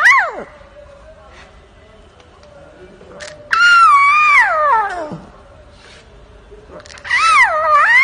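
A lion cub gives high, wavering mews that rise and then slide downward, much like a house cat.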